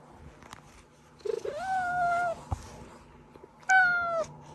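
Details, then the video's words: Pet cat meowing, a sound used to lure hiding cats out; two drawn-out harmonic meows, the first slightly rising then level, the second shorter and falling, with a faint thump between them in a quiet indoor setting. "고양이 울음소리"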